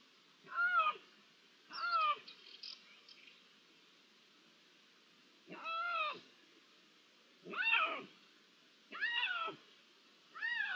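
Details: Repeated meows of Iberian lynx, recorded 16 June 2023 with natural ambience: six loud, drawn-out arched cries in irregular bursts, roughly one a second, with a longer pause midway and soft background hiss.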